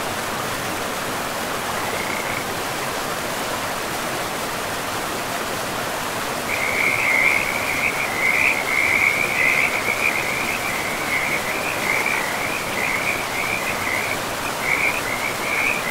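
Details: Frogs at a river in a pristine forest. After a lone early trill, a dense, louder run of pulsing croaks starts around the middle and carries on with brief breaks, all over steady rushing water.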